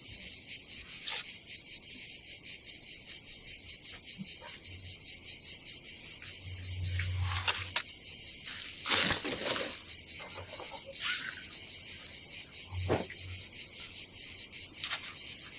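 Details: Summer cicadas buzzing at a seaside campsite by the Adriatic in Croatia, a continuous high pulsing drone under repeated rustling, knocks and clattering from people handling gear nearby.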